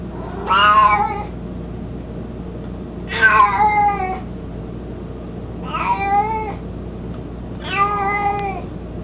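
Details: Mico, an 18-year-old mostly blind, chubby pet cat who loves carrying his toy mouse, gives four drawn-out harmonic meows, each falling in pitch, roughly every two and a half seconds over a steady low indoor hum.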